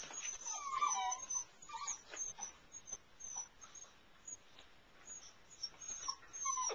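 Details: At night inside the house, Airedale Terrier puppies of Cece and Tucker settle in their whelping box. A thin, wavering whine opens the recording and a second one closes it, with shuffling and light knocks between them.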